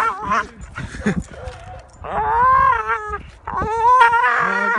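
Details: Pit bull dog hanging from a tree branch by its teeth outdoors gives rough growls, then two sustained, quavering, high-pitched screams with wobbling pitch, with noisy scuffling between them.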